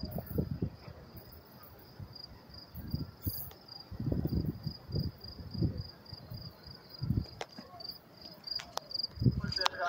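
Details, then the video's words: Crickets chirping up close in New York City on May 28, 2024: a steady, thin, high pulsed chirp runs through the whole stretch, half-buried under low rumbling city noise and a few sharp clicks. "sound of crickets chirping"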